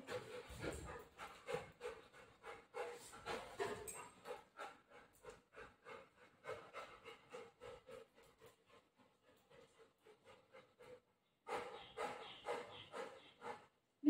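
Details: Pet Golden Retriever named Buzo at home, keeping its owner from going out: fast, rhythmic panting breaths about two per second, a brief pause near eleven seconds, then renewed panting.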